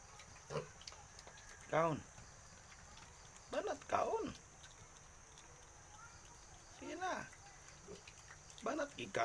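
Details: Eight-day-old piglet separated from the sow, giving harmonic squealing calls that rise and fall, in about four short bouts spaced two to three seconds apart, over a steady low background hum.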